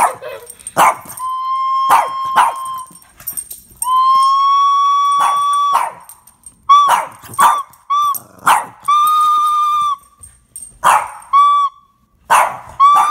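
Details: Pet Boston Terrier responding to a flute being played: drawn-out howling yelps and sharp barks woven through long, steady flute notes, growing choppier and more frequent in the second half.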